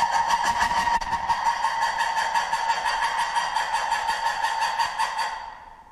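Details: Lemur giving a loud, harsh, pulsing call near one pitch with rich overtones, held steadily for about five seconds before fading out at the end.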